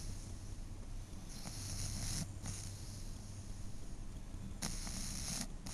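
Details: A 12-year-old female pug napping and snoring. Two raspy, breathy snores, each about a second long, come a few seconds apart over a low steady hum.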